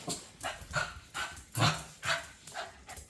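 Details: Mango, a pet dog, keeps barking as the owner repeats that she is leaving and tells him to stay home: quieter, rough bursts repeated roughly every half second over a noisy indoor background.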